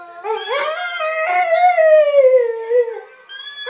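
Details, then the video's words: Blue Staffordshire Bull Terrier howling while playing with its favourite toy, a sustained tonal howl that rises at first, holds steady, then sinks gradually before breaking off, followed by a new howl starting. "Singing blue staffy"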